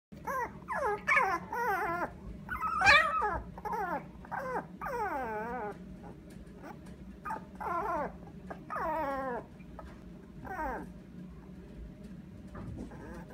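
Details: A lively, mischievous young male toy poodle gives a run of high, tonal whines and yips that bend up and down.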